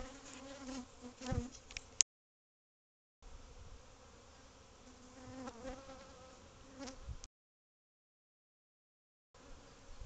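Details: Numerous bees nesting in a cavity of a covered patio at a house, becoming agitated as the recording goes on: a droning, tonal buzz rising and falling in intensity, broken by two silent gaps.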